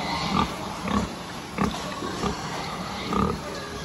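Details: Pigs at a farm giving short, low, rough grunts spaced roughly half a second to a second apart, over a steady background din of many other animals and general farm noise.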